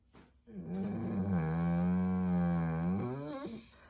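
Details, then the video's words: Pet dog Nala cries because her owner is about to leave: a sustained low, moaning howl that swells, holds steady, then wavers and fades, indoors, with the owner's reassuring voice before and after. "Dog cries for mom"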